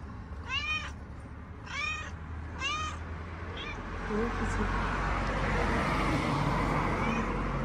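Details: Mama cat, a homeless street cat in Morocco with her kittens, keeps talking: three clear, arched meows about a second apart, then a shorter fourth, followed by steady traffic noise and brief human voice.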